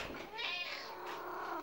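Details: Pet cat meowing back during a heated argument with its owner indoors: one long, drawn-out meow that rises then slowly falls, lasting over a second.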